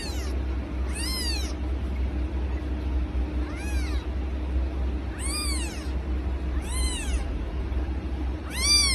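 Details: Domestic cat from a funny cat compilation, meowing repeatedly: about six short, arched, whining meows, each rising then falling, spaced one to two seconds apart over a steady low hum.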